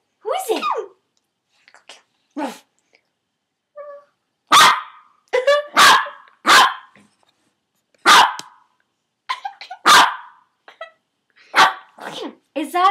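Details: Yorkshire Terrier indoors barking at posters above a bed: sharp, high barks in irregular bursts, about a dozen, some with yappy rising whines between them.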